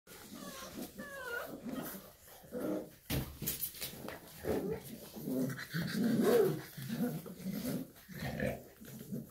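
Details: Shar Pei mother with her puppies indoors: low rumbling growls and grunts in uneven bursts, with a few short rising whimpers near the start and a brief pause around three seconds.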